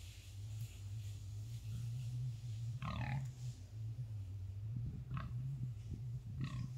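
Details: Wild boar in a forest, encountered by a man; low steady grunting drone with a few short louder snorts and grunts around the third and fifth seconds.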